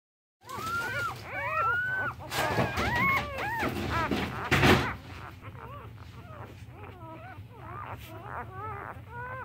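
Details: One-day-old Siberian Husky and Boxer or Mastiff mix puppies give high, thin whimpers and squeals that rise and fall in quick overlapping bursts.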